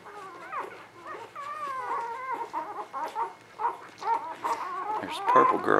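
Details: Newborn puppies, spring 2017, whining loudly in long wavering cries that break into rapid choppy whimpers, several pups overlapping and rising toward a shrill peak at the end.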